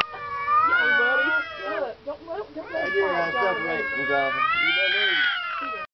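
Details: Male cat and a neighbour's cat exchanging calls outdoors, growing louder: long wavering yowls and choppy meows overlapping, with a person talking in between.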